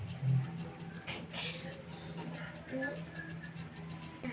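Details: High, piercing chirps from a wild-caught black cricket repeat in quick regular bursts, with a low hum and a few faint scattered background sounds.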